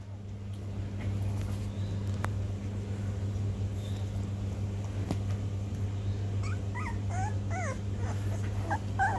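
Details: Sixteen-day-old Rhodesian Ridgeback pups learning to walk, giving thin, high whimpers that arch up and down, bunched in a quick series in the latter half, over a steady low hum.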